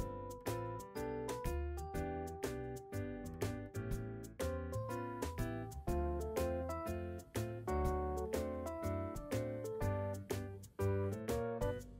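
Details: Cheerful piano background music with regularly plucked notes plays throughout, and no dog sound comes through.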